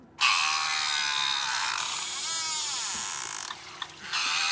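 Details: Beluga whales in an ice entrapment, recorded by a hydrophone at fixed depth and distance, trade harsh, broadband contact calls, a buzzy rasping exchange by which they keep track of one another, unlike their typical chirps and whistles.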